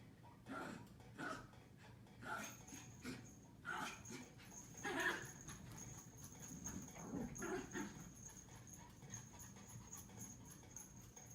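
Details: A Pomeranian puppy gives short, sharp, high-pitched barks in quick irregular bursts while running around in play.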